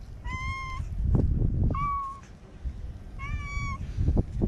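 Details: Three clear, drawn-out meows from a white stray kitten held in someone's arms in Okinawa, each steady in pitch and about half a second long, spaced evenly, over low rustling and bumping from handling.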